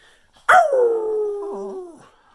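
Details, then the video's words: Cocker spaniel howling at Christmas 2019 in New Jersey, singing along with its owner. One clear, steady howl begins sharply, then slowly falls in pitch. A brief warble comes near the end before it fades out. "Christmas 2019 Cocker Spaniel Howling"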